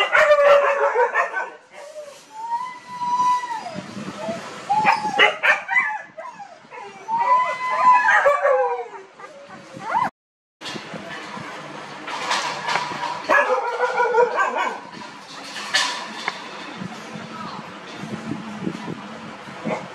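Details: Seventeen-day-old puppies, just starting to open their eyes and ears, in a village, give thin wavering whines and short high yips that rise and fall in an irregular stream, with human voices talking in the background.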